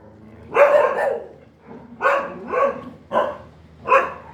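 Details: A dog gives four strong barks about a second apart, the middle one a doubled bark, each rough and full-toned.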